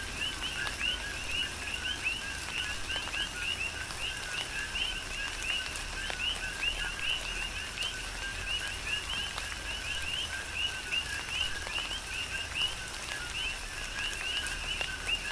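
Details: Coqui frogs calling in a tropical rain shower on the Big Island, Hawaii: a dense chorus of overlapping two-note chirps, a lower note followed by a higher upswept one, repeated nonstop over steady rain patter and scattered drips.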